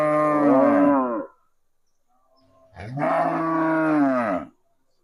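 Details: After hearing a cow sound played from a speaker, a cow that went on to follow the people moos twice: one deep harmonic moo of about a second, then a longer, slightly falling one.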